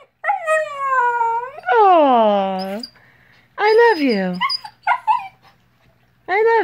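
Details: Siberian Husky born April 2017, purebred Husky mother and purebred Alaskan Grey Wolf father, vocalizing indoors at home at 5:30am: four loud, wavering, harmonic howls that slide downward in pitch, separated by short pauses.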